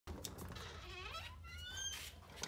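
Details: Rottweiler greeting its owners at a reunion, giving a rising, drawn-out whine that climbs and wavers over about a second, amid rustling and background noise, with people's voices nearby.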